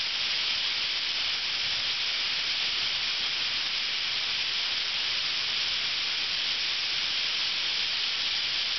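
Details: A summer mass of cicadas, numbering in the thousands, fills Ryokuchi park in North Osaka with a constant high hissing drone that neither rises nor falls, every insect blending into one seamless sheet of sound.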